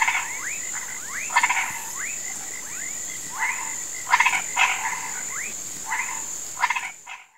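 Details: Sunset in a marsh where frogs and toads croak for rain: repeated upward-sweeping whistles and loud rattling pulses in clusters, over a constant shrill insect tone, ending abruptly.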